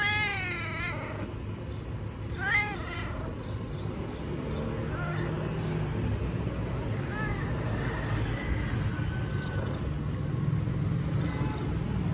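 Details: Pet cat giving two drawn-out, wavering meows near the start, then fainter mewing. Heavy low rumbling background noise throughout.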